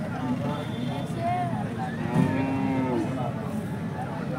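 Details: Holstein Friesian cattle, a cow described as 75% HF, at Peth Vadgaon market in Maharashtra: a short, level, low-pitched moo of about one second rising from the busy hum of people talking and passing vehicles.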